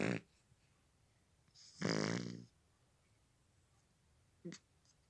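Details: Sleeping cat snoring: a short rough breath at the start, then a louder drawn-out rasping snore of about half a second with buzzy harmonics, and a brief soft snort near the end, quiet between breaths.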